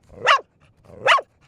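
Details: Two sharp, clipped barks about three-quarters of a second apart from Bear, a four-year-old female dog teased with a toy and barking almost nonstop.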